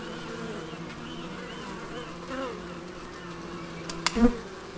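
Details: Bees buzzing in the Biblical Gardens, Elgin, Moray, Scotland: a continuous low hum of many insects with wavering tones as bees fly past, and a sharp click near the end.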